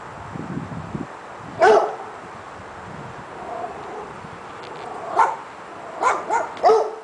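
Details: Dogs barking: a single sharp bark, then after a pause a bark and three quick ones in a row near the end, over a steady background hiss with faint low murmurs early on.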